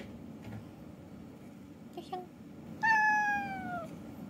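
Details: Domestic cat indoors in the morning, come to wake its owner: after faint soft noises, one long clear meow falling gently in pitch, lasting about a second, over quiet room hum.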